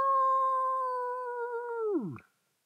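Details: A coyote in Indian Wells during a thunderstorm gives a single long, steady howl that drops sharply in pitch at the end.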